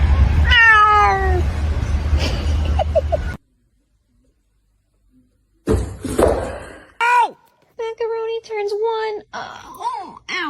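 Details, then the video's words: Domestic cat meowing, described as talking: a rapid series of falling harmonic meows at the start, then silence, then several drawn-out, arched meows of varying pitch in quick succession, with low rumbling background noise and possible human voices. "funny cats talking"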